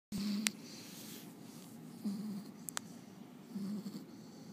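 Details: Rocko, a French Bulldog, snoring while asleep indoors: three low, rumbling snores spaced about one and a half to two seconds apart, with faint clicks between them.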